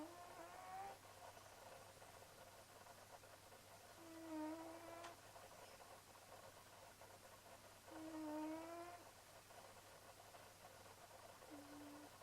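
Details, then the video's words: Kitty Leonardo, a sleeping cat, snoring away: drawn-out, faintly whistling tonal breaths about a second long, returning roughly every four seconds over a quiet, steady background hum. "Kitty Leonardo snoring away."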